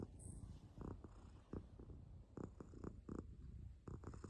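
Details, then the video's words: Close, continuous low purring from a cat, a soft pulsing drone with intermittent crackly rustles and clicks layered over it. "Healing sounds of a Cat"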